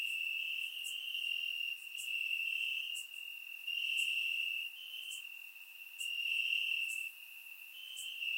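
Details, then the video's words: Crickets sing from grass on a warm night in Bulgarian summer, a constant high shrill trill with uneven surges of loudness and brief crisp clicks roughly every second. "Cricket Sounds - Crickets Chirping at Night"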